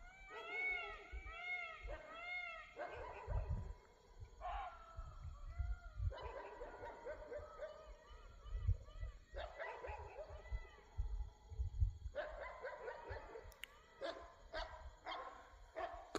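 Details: At dusk in Rajaji Tiger Reserve, India, dogs in separate spots bark after hearing a barking deer's alarm calls near a tiger. Clear harmonic barks repeat in quick runs of several, pausing every second or two, over steady low rumble.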